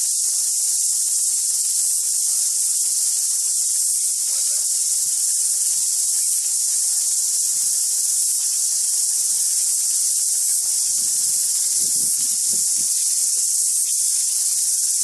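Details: A deafening cicada chorus, a steady, high, hissing buzz that never lets up, with a cicada singing close up on a tree and tuis singing in the background.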